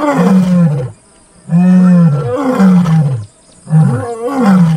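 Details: Full roar from a white male lion and a Satara Pride female right beside a safari vehicle in Kruger National Park, South Africa, two cubs present: deep, loud moaning calls in long bursts about a second each, separated by short pauses.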